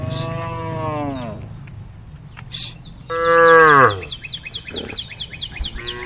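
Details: A group of tame female cows calling the herd: two long, harmonic-rich moos, the first steady then dropping, the second louder and sliding downward, with quick repeated bird chirps overhead.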